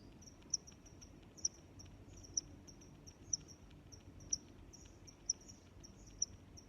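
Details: Cricket chirps in a natural setting, a high-pitched trill with sharper louder chirps standing out roughly once per second, set against faint low-frequency background hum.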